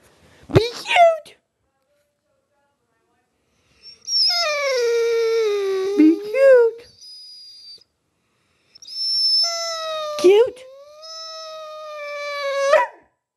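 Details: Young female Rhodesian Ridgeback, 21 months old and weighing 95 lbs, whining and barking indoors when asked to be cute; a short yelp, then two long, drawn-out, tonal whining howls, the second rising and wavering.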